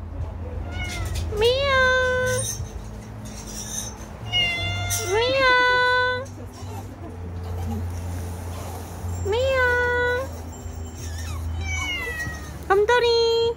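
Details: Domestic cat giving a series of sharp, rising meows, about five calls spaced a few seconds apart, some short and clipped, over a steady low background hum with faint other sounds.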